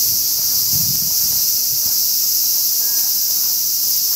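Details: Cicadas give their summer song, a steady, high-pitched electric buzz that never pauses.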